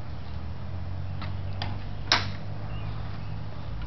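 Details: A steady low hum runs throughout, broken by a few soft clicks and one sharper tap, with no animal voice heard.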